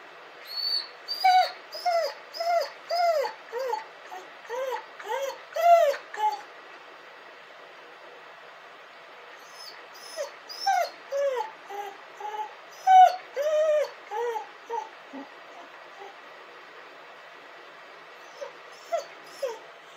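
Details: A dog crying and howling: bursts of short, high, arched whining cries, each rising then falling, tumbling rapidly one after another for several seconds, a quiet pause, then a second run of cries, trailing off into a few scattered whimpers.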